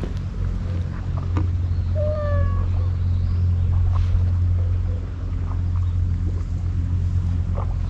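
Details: Scarf-wearing stray cat on a Japanese cat island, encountered on a lonely road and fed; two brief descending meows near the middle over a constant low rumbling drone, with scattered clicks and handling noises.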